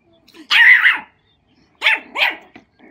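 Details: Matilda, a 4-month-old female mini pug puppy, meets an old labrador whose size scares her; three sharp, high yapping barks, one longer burst followed after a pause by two quick ones close together.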